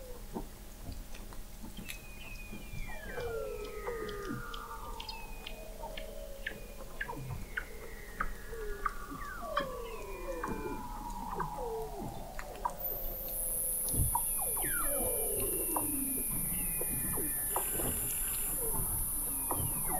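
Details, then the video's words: Weddell seals under thick sea ice in McMurdo Sound, Antarctica, recorded November 2017 by a hydrophone 21 m below the ice: many overlapping descending whistles and sweeping glides, trills and clicks, with a steady high tone entering near the end. "Song of the Antarctic Weddell Seal"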